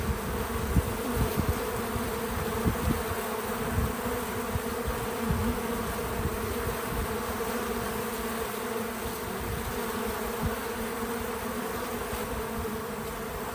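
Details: Bees working a feeder outdoors on a small farm produce an unbroken, even buzzing drone for the whole stretch, with occasional short louder flybys and low thumps beneath the hum.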